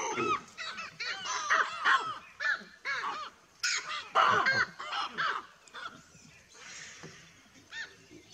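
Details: A troop of baboons calls when a buffalo arrives. Many loud, arching barks overlap in quick succession for about six seconds, then thin out into a few scattered calls.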